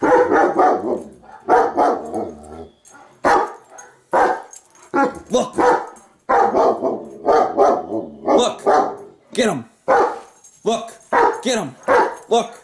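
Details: A female German Shepherd barks in loud, harsh bursts at a video of herself on TV while a person excitedly urges her on.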